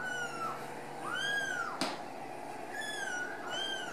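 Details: Several home-raised Ragdoll kittens at a central Kansas cattery mew in thin, drawn-out cries that rise and fall, about four calls in four seconds, with one sharp click midway and a constant indoor hum.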